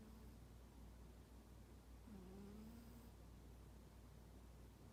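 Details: Sleeping domestic cat Toraji, described as aloof and unaffectionate, snoring with a soft 'poo-poo' sound: a quiet, steady low rumble, with a brief whistled nasal tone midway that rises and then levels off for about a second.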